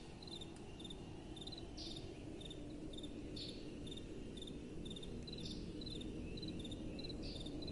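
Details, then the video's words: Crickets chirping on a windy night: steady short chirps roughly twice a second, joined by a louder drawn-out buzzy chirp every couple of seconds, with a soft constant wind rush below. "Relaxing Night Time Sounds | Crickets & Soft Wind"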